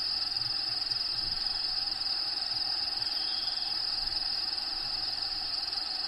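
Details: Crickets in a bearded dragon enclosure, Diego's vivarium, trill in a constant high, even buzz against background natural habitat sounds. A faint short note appears near the middle.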